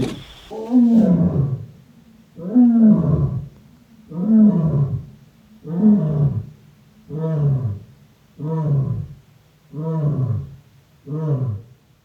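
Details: Lion roaring in a long series of deep grunting calls, eight heavy low bursts spaced about every one and a half seconds, each falling in pitch and growing slightly shorter toward the end; no other sounds.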